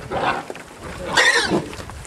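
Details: A farmed wild boar–pig hybrid makes a coarse, breathy grunt, then a louder, strained squeal that rises and drops away, while the animals are fed apples; faint human voices behind.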